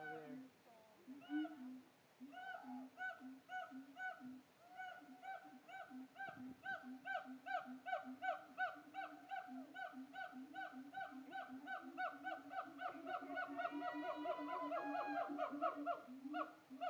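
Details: A siamang in a zoo, putting on a show, gives a long run of loud, hooting calls that speed up and climb in pitch.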